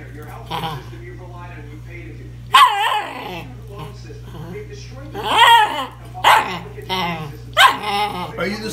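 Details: Two Cairn Terriers begging for cookies indoors: a series of short, sharp, whiny barks in bursts at irregular intervals, with a quiet pause at the start and a steady low hum underneath.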